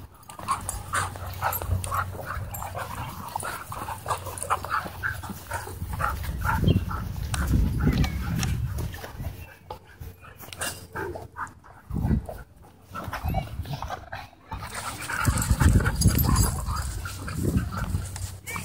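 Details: Several dogs romping together at a dog park: choppy low growls and huffing breaths come in uneven bursts, with a lull partway through before the noisy tussle picks up again.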